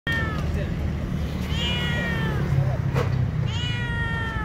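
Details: Hungry stray street cats crying for food: two drawn-out, falling harmonic meows, one near the start and one at the end, over a steady low rumble with a brief click between them.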